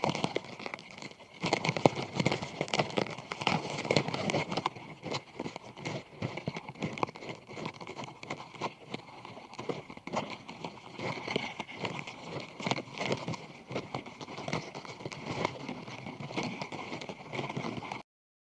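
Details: Japanese scarab beetles crowding together during mating: continuous rustling, rasping clicks and scrapes, busier in the opening seconds then steadier, with a faint constant tone beneath, close recording ending abruptly.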